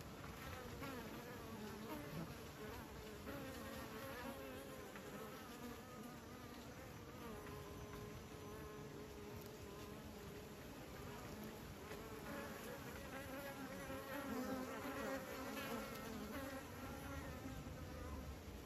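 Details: Honeybees kept by beekeepers, a dense continuous buzzing of many insects with steady wingbeat tones layered around the low-mid range, shifting in pitch as individual bees pass close, with no other clear sounds.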